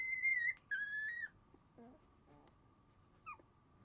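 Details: Two clear, high whistled whimpers, the second gliding slightly downward, come from sleepy Shiba Inu puppies, brother and sister littermates born January 7. Faint lower squeaks and a constant hum follow.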